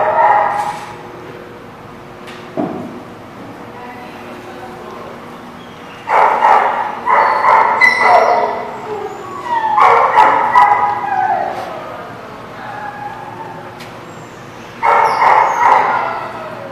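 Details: Dog barking at The Barking Lot on 21 July 2017: after a quiet opening with a single sharp sound, clustered runs of loud, harsh barks burst out around six, ten and fifteen seconds, separated by lulls.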